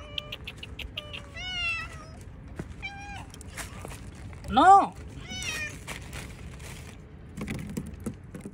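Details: Hungry domestic cats eating cut fish outdoors, meowing repeatedly: about five tonal, harmonic meows, some short and wavering, one louder drawn-out call near the middle, over a low rumbling background with scattered clicks and clatter.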